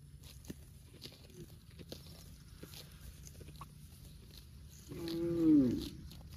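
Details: Cow eating grass, with soft crunching and rustling of grazing for several seconds, then one loud, drawn-out, slightly falling moo near the end.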